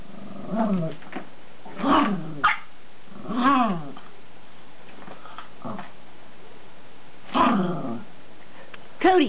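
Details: Lacey, a Chihuahua puppy, at play with her toys: short arched growling whines in separate bursts about every one to two seconds, with quiet gaps and a person's voice nearby.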